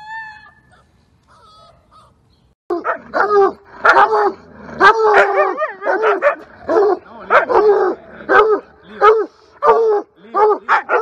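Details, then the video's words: Siberian Husky pet dog giving a long run of loud, wavering howl-like barks and yips, repeated roughly once a second with rising and falling pitch, after a quiet start with faint tones. "かわいい犬 ハスキー犬 動画集"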